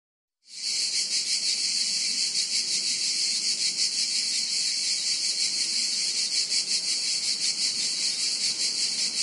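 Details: In Montenegro, a dense, steady chorus of grasshoppers makes a high buzzy hiss with a fast, faint pulsing throughout.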